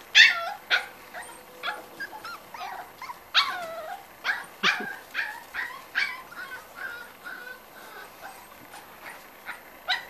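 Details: Five-week-old Corgi puppies, upset and wanting to come through a blocked opening, let out a rapid series of high, whining yips and whimpers, each short and bending in pitch, several pups overlapping without pause.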